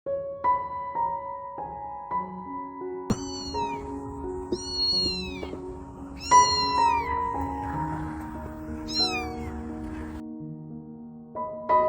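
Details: Stray kitten lost in the dark, crying for her mother: high, plaintive meows, each sliding downward, given in small bursts over continuous soft piano music.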